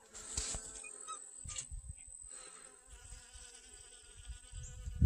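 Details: Honey bees gather pollen from sunflowers in a garden on August 25th 2021, their wingbeats giving a soft, steady hum with faint stacked overtones, under low rumbling wind and handling noise.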